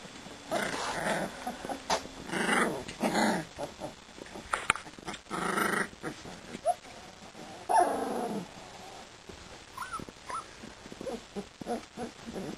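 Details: Siberian Husky puppies, two and a half weeks old, playing together: soft scuffling and brief growly bursts, then a few thin, high whimpering squeaks near the end among quiet rustling.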